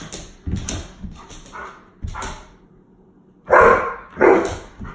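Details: An 8-year-old Alaskan Malamute named Jasper, from Saskatchewan, Canada, plays with an old rawhide scrap amid soft thumps, then lets out two loud drawn-out talking howls about half a second apart near the end.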